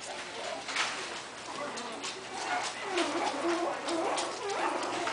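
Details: Coton de Tulear puppies, three and a half weeks old, playing together: soft squeaky whimpers and short tonal yelps come in and out over a steady rustling, hissy background, with a low hum underneath.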